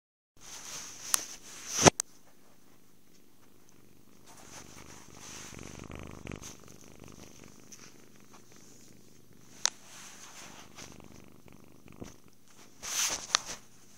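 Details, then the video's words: Happy kitten purring while cuddled, fed and sleeping, a soft low steady rumble with sharp handling clicks and rustles near the start and end, recorded indoors on a phone. "Happy kitten. Purrs, cuddles, food, and sleep"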